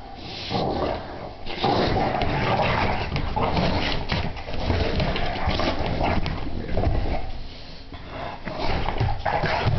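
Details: Two English Bulldogs playing together, grunting, snorting and growling in low, rough bursts, almost without pause.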